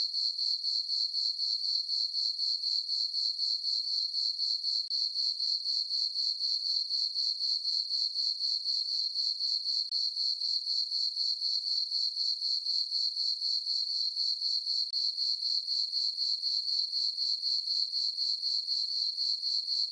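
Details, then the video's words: Crickets calling through a dark summer night over a farm meadow beneath a full moon, a constant piercing chirp in rapid regular beats, about four a second, with a quiet background. "Cricket chirping sounds for sleeping"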